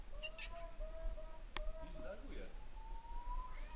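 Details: Domestic cat said to have been in Poland for only a month and still shy: a long, level, drawn-out meow, a pause with people talking over it, then a second rising meow.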